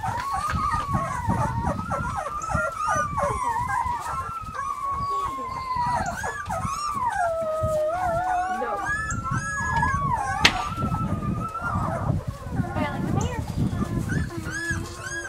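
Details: Summer recording of Weimaraner puppies Bailey, Hailey and Jenny giving a sustained, wavering howl-like whine that rises and falls continuously, with other puppies squeaking higher above it and background noise throughout.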